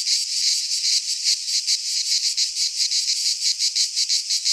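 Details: Cicadas in a Greek pine forest in midsummer produce a piercing buzzy chorus, beating in brisk rhythmic surges that rise and dip steadily over the few seconds heard.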